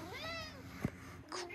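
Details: A pet cat at home during Christmas playtime, with talking buttons nearby, gives a drawn-out harmonic meow that rises and then falls over about half a second. A soft knock and faint human speech follow.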